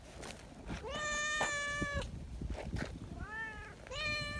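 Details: Affectionate neighbourhood community cats, sociable and eager to be stroked, greet with lively calls: a long drawn-out meow held about a second, then two shorter meows close together near the end.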